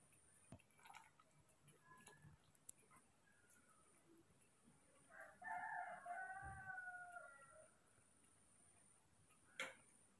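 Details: Hand-raised baby monkeys Moni and Mino await their morning milk, one giving a wavering, whiny tonal cry of about three seconds amid faint ticking and handling noises, with a brief click near the end.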